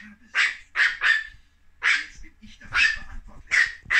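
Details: Chihuahua puppies, one owner's own little ones as young pups, yapping in a run of sharp, high, bright barks, about seven quick bursts over four seconds, some doubled, with short quiet gaps and faint background voice.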